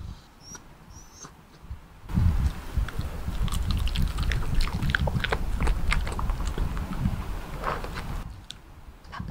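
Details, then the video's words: Bichon Frise named Byeol, a dog that eats vegetables well, munching assorted vegetables: about six seconds of dense, irregular crunching and wet chewing clicks, with quieter stretches before and after and a few faint high bird chirps at the start. "채소 잘먹는 강아지 별이의 각종채소 먹방 asmr"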